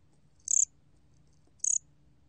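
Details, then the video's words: Bear cricket (곰귀뚜라미) from a 2020 National Institute of Biological Resources recording: two short, high, pulsed chirps about a second apart, each a quick burst of roughly six pulses, over a faint low hum. "곰귀뚜라미, 여러번 듣기, 곤충소리"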